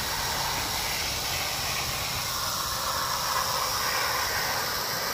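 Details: Continuous dry, sizzling buzz of a rattlesnake's rattle, 1 July 2018, even in loudness from start to finish and spread broadly across the upper pitches, with no other clear sounds.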